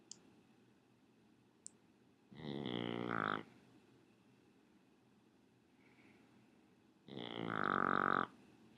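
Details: Raleigh, a Shih Tzu, snores in two loud, rasping bursts about a second long, separated by roughly four seconds of quiet room hiss.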